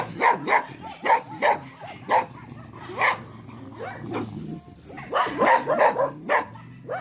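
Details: Short, sharp barks from Staffordshire Terriers, delivered singly at irregular intervals of about half a second to a second, with a quieter lull midway and a closer run of barks at the end.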